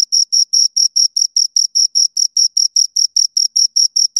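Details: High, piercing chirps from two crickets, evenly repeated about four or five times a second in an unbroken rhythmic train against silence.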